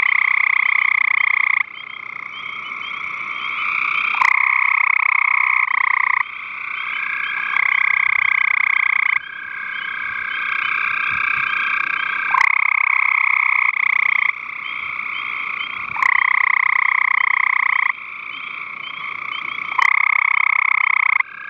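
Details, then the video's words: Gray tree frogs vocalizing on 5/7/13, loud pulsed trills about two to three seconds long alternating with brief quieter gaps, repeated steadily over a constant chorus of other calling frogs. "Vocalizing Gray Tree Frog"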